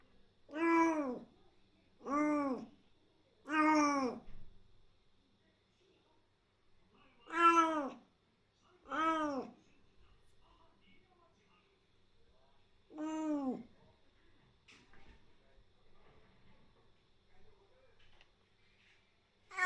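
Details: Rescued kitten just over three months old, fostered after its mother died in an accident and still very wary, gives six loud, clear meows indoors, each rising then falling, spaced irregularly over the first half, then faint rustles in a quiet room.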